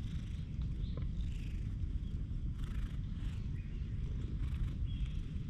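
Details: A stray cat rubbing against a person's legs, filmed on a GoPro HERO8: a steady, low rumbling purr runs through the whole stretch, with faint scattered chirps higher up in the background.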